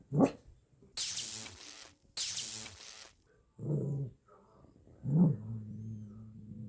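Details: Pet Maltipoo puppy indoors: a sharp yelp, two broad noisy bursts, then low, grumbling vocal growls with a long, steady, humming rumble at the end.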